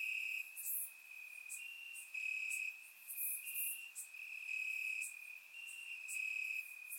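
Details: Several crickets chirping in grass at night in Bulgaria in summer, their high trills overlapping and alternating in short swells about every second, recorded in surround sound with nothing else audible.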